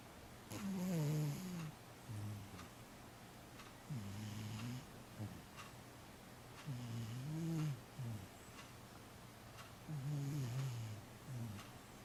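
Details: Soft, rough cat snoring in a quiet room. Four low, nasal, buzzing inhales about three seconds apart are each followed by a short, grainy breath out. The snoring stays fairly quiet throughout.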